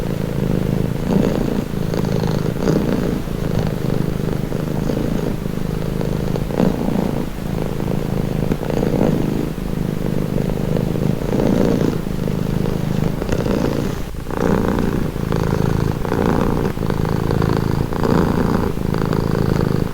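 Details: Domestic cat purring steadily, offered as a calming sound; a continuous low rumbling throb that pulses with each breath, in and out, roughly every second, with no other sounds standing out.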